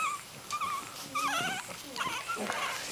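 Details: Young miniature dachshund puppy, three weeks old with eyes open: high, quavering squeals that waver and dip, several in under three seconds, with soft human voices in the room.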